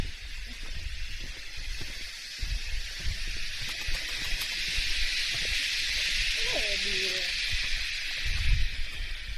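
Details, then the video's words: A cicada in the mountains near Sapa, northern Vietnam, in early summer, sings a loud, steady, hissing drone that holds unbroken from start to finish. "Ora si può sentire anche questa cicala vietnamita."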